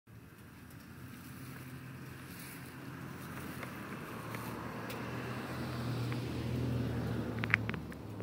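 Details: Steady outdoor rumble like wind or passing traffic, slowly growing louder, with a sharp click near the end and no animal voice.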